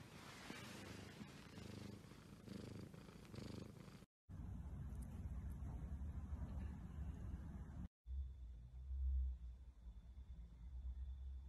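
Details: Exotic Shorthair cat purring in short spliced stretches: a low, buzzing rumble, loudest in the opening seconds, then a duller, deeper hum after two abrupt cuts.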